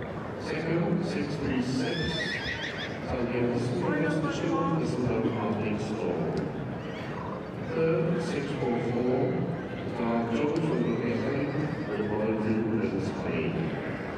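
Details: Three-year-old Welsh Cob colt giving wavering, high whinnies early in the recording, partly buried under steady human chatter and voices throughout.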